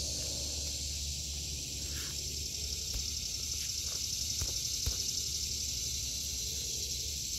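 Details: Cicadas in a vegetable garden in August 2023 give a steady, high, hissing drone that never breaks, with a few faint knocks and soft rustles beneath it.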